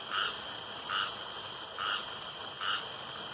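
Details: Single frog calling near a pond in the dark: four short, identical croaks spaced under a second apart, clear against a quiet background with a steady faint high tone.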